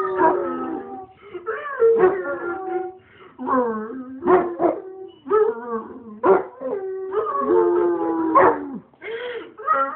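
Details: Pet Basset Hound howling indoors: long wavering drawn-out howls broken by short yips and whimpering cries, rising and falling, with brief pauses between phrases.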